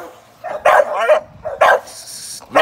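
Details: Young American Staffordshire Terrier working as a sporting dog in training for ADBA shows; a few loud, harsh barks spaced about a second apart, with quieter gaps between.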